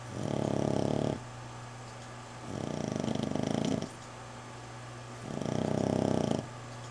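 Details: Sleeping female dog recovering indoors from fight wounds, snoring in three rough, buzzing breaths each about a second long, separated by quiet pauses of over a second.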